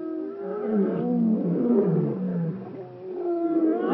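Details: African lion in Kruger National Park near Shingwedzi: deep moaning, groaning voice with layered harmonics, drawn out and swelling over four seconds, no other clear sounds.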